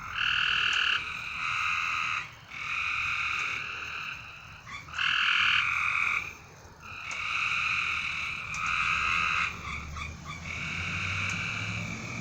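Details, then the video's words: Night chorus of frogs giving sustained, even buzzy trills in bursts of about one to two seconds, several overlapping with short gaps between them. Faint low rumble near the end. "A Strange Night Sound? And Frogs!"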